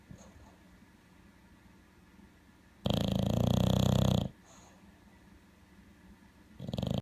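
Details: Male bulldog snoring in his sleep, sounding like an alligator: after quiet breathing, a single loud, gravelly, rumbling snore lasting over a second, then calm, and another snore starting at the end.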